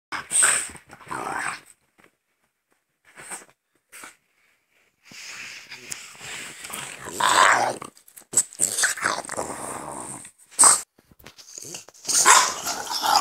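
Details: Two French Bulldogs, father and son named Gonzothunder and Turbopanda, indoors; raspy snorting and wheezy grunts come in noisy bursts, a quiet gap of about three seconds, then more rapid snuffling and huffs.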